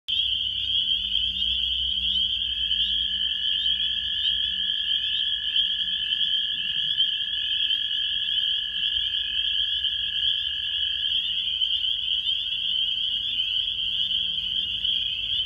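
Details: Many frogs call together in early April in New York State, USA, a continuous piercing high chorus blending into one ringing tone, with a fainter lower trill beneath for a while before dropping out.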